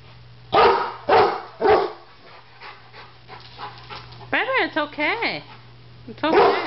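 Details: Pet Rottweiler barking at a barbecue grill it seems to fear, with a Doberman present: three loud broad barks in the first two seconds, then a woman's rising soothing speech and a final bark; steady low hum throughout.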